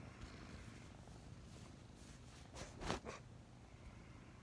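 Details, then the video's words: Two snuggling kittens about five months old purr softly in the morning; a faint low rumble continues under a brief rustling snort near the end. "Snuggling two purring kittens"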